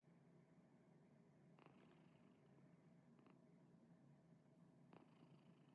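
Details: Female white domestic cat purring while sleeping beside her owner, a sound likened to snoring: a continuous low, even rumble with a steady pulse throughout, and three brief faint clicks or rustles in the background.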